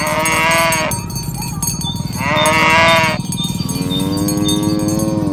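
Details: Herd of tame village cattle driven toward the pen in the morning. Three harmonic lowing calls, two short and one longer and flatter at the end, amid dense cowbell ringing.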